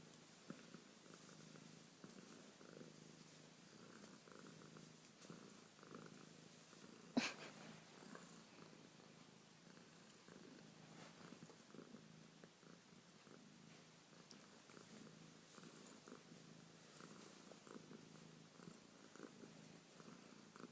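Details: A female cat purring softly and steadily, a low rumbling pulse in alternating breathing phases, with a single sharp click about a third of the way through.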